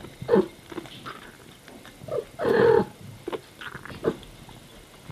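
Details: Mother cat talking to her baby kittens as she cares for them: short chirping murmurs early on, then a louder drawn-out meow-like call in the middle, followed by a few quieter brief calls against a quiet indoor background.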